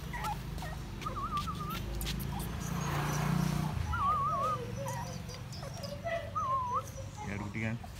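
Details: American Bully micro puppies of the Bolow Jr bloodline in Odisha, giving several short, wavering, high whines that wobble up and down, separated by pauses, over a steady low rumble in the background.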